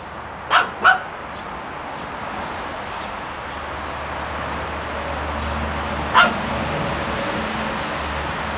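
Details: A garden outing with three Pekingese puppies aged three months. Two quick, bright yips sound in fast succession, followed by a long pause and a single yip later. A constant low hum runs underneath.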